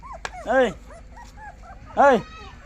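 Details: Puppy giving two short, arched, whining yelps about a second and a half apart, with quieter human voices murmuring in between.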